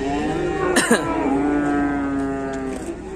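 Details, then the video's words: A fierce cow kept by Indonesian cattle farmers, making a racket: one long, low, steady moo with rich harmonics that holds for about three seconds, with a short sharp knock near the start. "SAPI GALAK BIKIN RIBUT"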